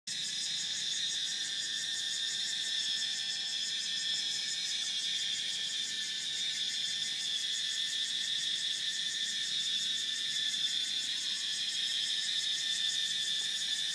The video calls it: Cicada Sound